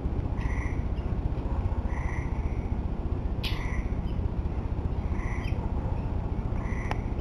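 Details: Several short, bright tonal notes from tree frogs at the end of summer, spaced unevenly about a second or more apart, with one sharp click and a constant low rumbling background.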